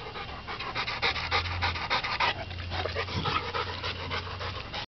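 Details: Dogs playing together in a backyard, heard as rapid rhythmic panting at roughly three breaths per second, with a constant low hum underneath.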